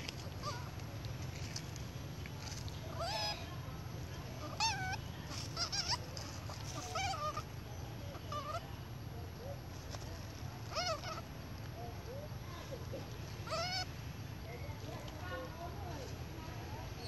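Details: Baby monkey crying loudly for milk from its mother: scattered shrill, wavering wails and short squeals come in bursts every second or two over steady low background noise, with faint human voices.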